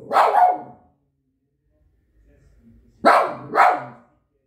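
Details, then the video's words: Barking Shih Tzu dog: a strong double bark, about two seconds of near silence, then two more harsh barks in quick succession. "The barking Shih Tzu dog."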